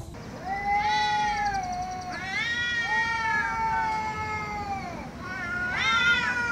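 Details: Angry domestic cats meowing loudly: three long, harmonic-rich meows, the first two drawn out about a second and a half each with a falling tail, the last short and sharply rising, over a faint steady hiss.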